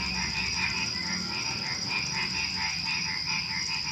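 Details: Frogs calling in the dark hours before dawn among crickets: a dense, rolling chorus of rapid croaks that swell and fade about twice a second, backed by an unbroken high-pitched insect buzz.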